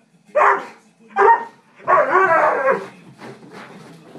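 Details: Two Dobermanns, Zoey and Capone, fighting over the couch, Zoey refusing to give it up. Three loud bursts of harsh growling barks in quick succession, the third a long rolling snarl, then fading softer grumbles.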